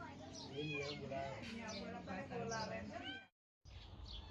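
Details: Kittens that suddenly turned up in a village backyard give a run of short, arched, high mews in quick succession, with people talking over them and a brief silent break near the end.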